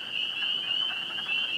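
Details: Distant chorus of spring peepers calling from vernal pools in Connecticut in spring, about 40°F, on a wet night; shrill high peeps merge into a continuous bright ringing over fainter, lower sounds, with wood frogs also nearby.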